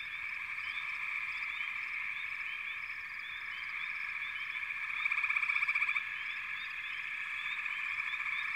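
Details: Many frogs calling together in a continuous high chorus, a rapid rattling trill rising loudest around five to six seconds, with scattered short chirps above.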